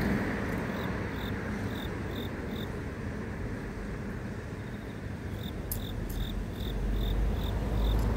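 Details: Urban grass insect giving a quick series of bright, high pulsed chirps, several per second, against loud low-pitched city traffic rumble that swells near the end.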